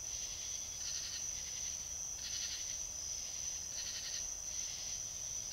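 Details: Trail-camera recording from South Carolina of a fox uttering rough, hoarse barks in an uneven series of three or four, over a constant shrill electronic hum.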